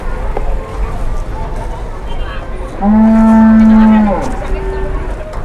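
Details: Cattle, one of two cows being pranked, giving a single loud, steady, low moo lasting about a second and a half that dips slightly at the end, with background noise and human voices before it.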